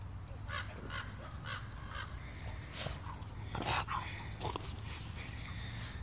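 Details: A male Boston Terrier barks with a ball in his mouth, giving short, muffled barks spaced roughly a second apart over a low background hum.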